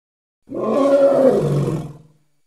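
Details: A single rough, resonant roar from a Congo hippo, swelling quickly, holding for over a second and tapering off, with no other sounds around it.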